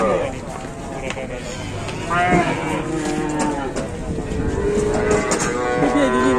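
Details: Several short, wavering moos from cattle at a crowded Indonesian livestock market in the morning. The calls are partly masked by continuous chatter and background bustle.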